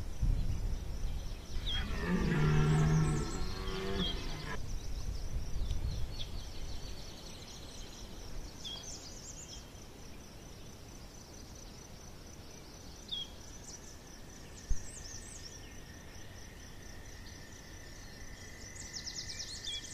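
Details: Deep, low red deer roar from the Chambord rut, September 2021, lasting about three seconds, followed by quieter groans and a long stretch of bird calls with a faint steady insect hum.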